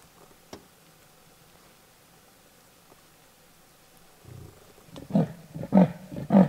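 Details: Male leopard in Lion Sands, patrolling and marking his territory, gives rough, rasping sawing calls: about four seconds of near silence, then three or four loud, deep, hoarse strokes roughly every half second.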